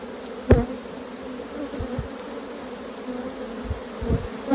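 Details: Honey bees at an open hive during a honey harvest, a steady low droning hum with a constant tone, broken by a few sharp knocks and clicks from the beekeeping work.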